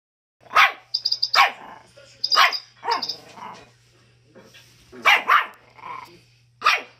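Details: Schipperke dog with a chicken nearby, giving sharp, broadband barks in irregular bursts, some doubled, spaced about one second apart, with faint high clucking-like notes between and a steady low hum underneath.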